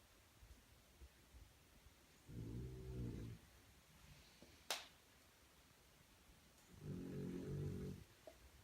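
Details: French Bulldog puppy sleeping and snoring indoors: two low, rumbling snore breaths about a second long, separated by roughly four seconds of quiet, with a single sharp click between them.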